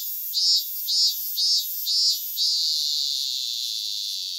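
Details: Cicada singing in Japan: five loud, shrill buzzing pulses about half a second apart, then a steady unbroken high buzz that holds for the rest of the clip.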